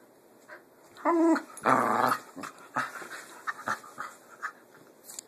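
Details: Pit bulls growl during play: two short, harmonic, moaning growl bursts just after one second and near two seconds, followed by quieter scuffles and clicks.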